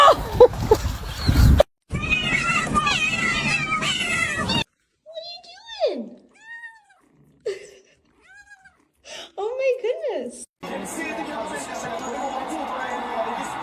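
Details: Domestic cats in a compilation of funny pet moments: several short, bending meows, some rising then falling, sound between bursts of people talking and laughing, with a stretch of room noise at the end.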